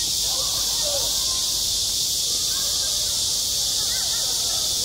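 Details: Midsummer cicadas drone loudly over a school playground, an unbroken, sizzling high buzz that dominates everything, with only faint traces of distant children's voices.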